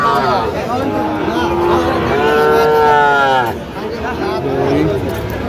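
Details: Sahiwal bull calf at a crowded cattle market, bought by a Narsingdi farmer on 31 January 2026, gives one sustained, rising-and-falling moo lasting over a second, with men talking close by.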